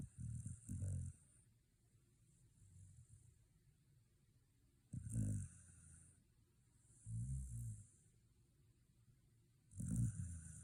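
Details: Shiba Inu asleep after a day at the dog run, snoring in low rumbling bursts roughly every two to three seconds, with soft breathy hiss between snores in a quiet room.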